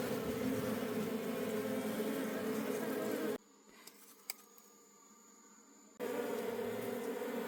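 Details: Honey bees from a wild colony in the forest while wild honey is harvested: a dense, even buzz of many bees, cut by a near-silent pause of about three seconds holding two small clicks, then the buzzing resumes.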